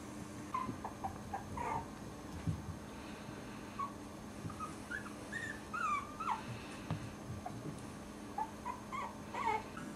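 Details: Four-week-old Cairn Terrier puppies give thin, high whimpers and squeaky yips in short bursts.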